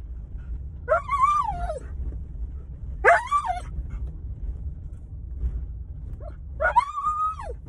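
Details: An excited 8-year-old Alaskan Malamute from Saskatchewan, Canada, gives loud, drawn-out howling screams, each rising then falling, in three bursts, on the way to doggy daycare, growing louder as he recognizes landmarks; he does this only then.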